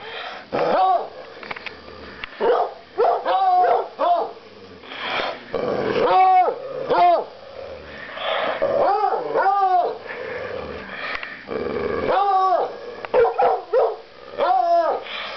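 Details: Several coonhounds making arched, harmonic yelping barks in short bursts, often two or three in quick succession, separated by rough, growly stretches and some scuffling.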